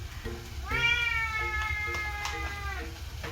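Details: Domestic cat endlessly talking back to its owner, a long drawn-out meow of about two seconds, starting high and slowly falling, preceded by short soft chirps and followed by a brief murmur; faint background music.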